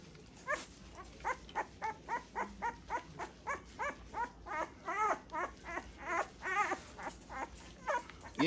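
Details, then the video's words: A two-week-old Great Pyrenees puppy whimpers steadily through its first bath, giving rising-and-falling squeaky cries roughly twice a second that grow louder and more wavering toward the end. "My two week old great Pyrenees puppies first bath"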